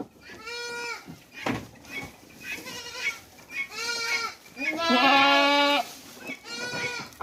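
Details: Bleating of hungry goats on a goat breeding farm in Mumbai, India, holding hundreds of big goats: a run of nasal, quavering bleats about every second, one long loud strained cry near the end, with faint background chatter.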